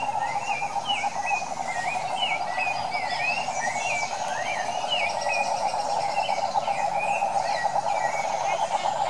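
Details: Wild Brazilian cane toads of the Pantanal call in a steady, pulsing trill chorus that never stops, overlaid by a run of quick, zigzagging bird chirps repeated across the whole stretch.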